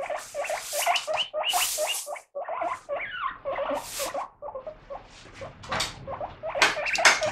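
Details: Guinea pig kept as a pet, loudly demanding attention as its lettuce gets washed; squeaky wheeking notes in quick bursts, with hissy noise bursts between them.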